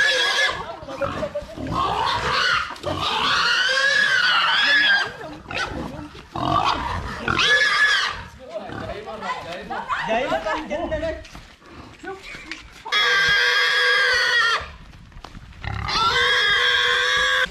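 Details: Village-raised pig, reared 12 months for sale, squealing while being caught in mountain country; after a stretch of men talking and scuffling, two long, loud, steady shrill squeals of about two seconds each close the recording.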